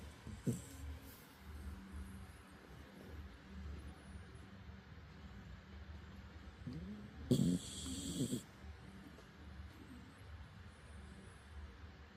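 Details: Old Spitz dog, twelve years of age, sleeping and snoring: deep, low, wheezy rumbles rise and fall steadily, broken by a short, louder snorting, rustling burst about two-thirds through.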